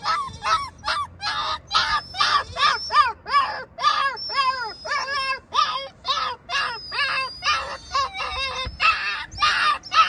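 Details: A stressed puppy cries steadily while kept from reaching its worried mother in the garden. The calls are loud, harmonic and arched, yelping about two to three times per second throughout with hardly a pause.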